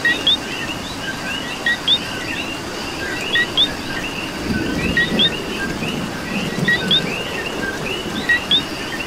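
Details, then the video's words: Coqui frogs calling in the rain in Puerto Rico: sharp two-note 'co-qui' calls, a short flat note followed by a rising whistle, repeated every one to two seconds over a dense background chorus of other frogs and steady rain patter. "Coqui and Rain"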